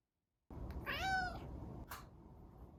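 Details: Pet cat in a cage, meowing to be let out or asking for food: a single rising-then-falling meow about half a second long, followed by a brief soft sound, in a quiet indoor room.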